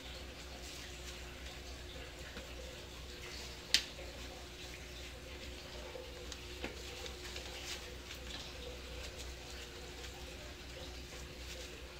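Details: Steady indoor room hum with faint water-like hiss and one sharp click, and no animal voice.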